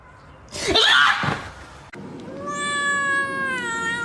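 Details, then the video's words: Long drawn-out kitten meow, steady and slightly rising, with rich harmonics, coming after a brief burst of rustling noise. "Kitten meowing"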